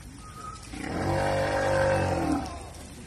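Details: A captive male Patagonian (southern) sea lion, Otaria flavescens, kept at Himeji Zoo in Japan, where he swims back and forth in a small pool, gives a sustained, deep, harmonic roar of about a second and a half that swells and then fades.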